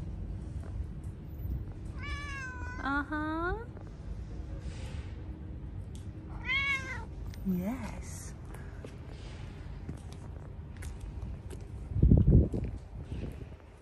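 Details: Domestic cat confused by melting snow, meowing repeatedly: rising-falling harmonic meows around two to four seconds, another pair near six to eight seconds, over steady low rumbling background, with a loud low thump near twelve seconds.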